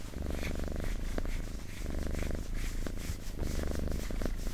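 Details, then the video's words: Cat purring steadily, deep pulsed rumble in clear inhale and exhale phases under a second apart, with light rustles and clicks over the top. "Purring Cat ASMR"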